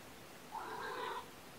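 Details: Single brief mew from one of Mama Olympia's kittens, indoors on a February 2018 morning, a steady tonal cry of about two-thirds of a second over quiet room hiss.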